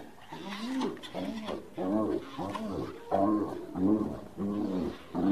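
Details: Repeated low, arched groaning calls from a hyena, roughly one per second, over a noisy, hissing background.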